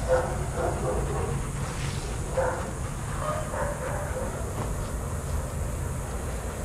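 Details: Adoptable shelter dogs playing together at a daycare, giving a few short, rough barks near the start and again around two and a half seconds, over a steady low rumble of background noise.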